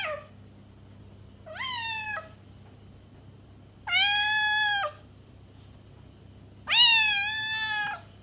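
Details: Meows of a cat, used to draw in a stray: three drawn-out, flat harmonic calls, each about a second long, separated by two-second pauses over a low steady hum.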